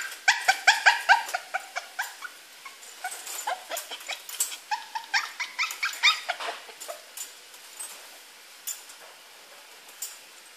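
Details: A pet poodle, male, that taught himself within two weeks to climb out of his cage, letting out a fast series of short yelping whines, dense and loud at first, then thinning into sparser, quieter whimpers.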